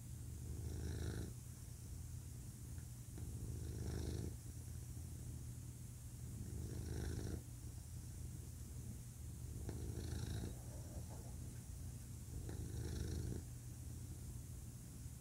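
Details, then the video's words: Male pet cat purring, a soft continuous low drone broken by five stronger, gravelly surges about every two to three seconds, one per breath, calm and even. "Cat Purring"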